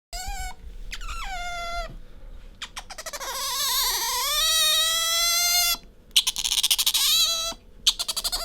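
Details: Pet otter Bingo squeaking while rubbing up against its owner: high harmonic-rich squeals, some long and wavering, others broken into rapid pulsed bursts, with brief pauses between phrases.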